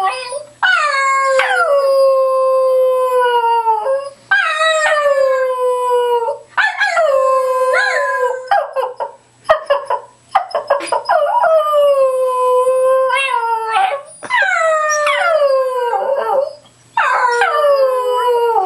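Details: Gus, a pet Cairn Terrier, sings and howls on command: six long drawn-out howls, each starting high and sliding down to a steady, wavering tone, held two to three seconds with short breaths between.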